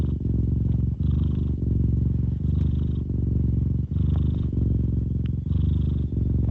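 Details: Domestic cat purring with deep bass: a steady, low rumbling purr that breaks briefly at each breath, roughly once a second, with a faint higher hiss riding on the exhale phases.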